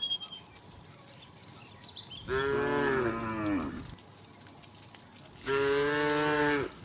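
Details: Two steady, full moos about three seconds apart from tame cows, dozens in the herd, walking past village houses and trees toward vast rice fields.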